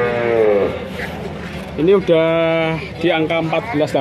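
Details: Young male cattle at a sale in Grabag, Magelang: a falling moo, a pause with background chatter, then a brief rising call and a flat sustained moo, ending in choppy short calls among voices.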